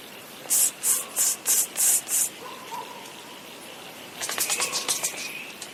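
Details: Leadbeater's possum calling in response to a person, recorded during a 2012 stag-watching visit: six loud, harsh, hissing bursts at a steady beat, then a faint thin tone, then a quick run of raspy chattering pulses.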